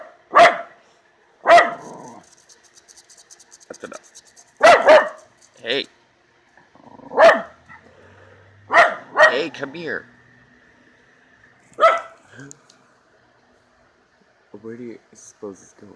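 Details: Angry Miniature Schnauzer hunting the yard and barking at something: repeated sharp, loud barks at uneven gaps, some doubled, with a person calling the dog over and talking near the end.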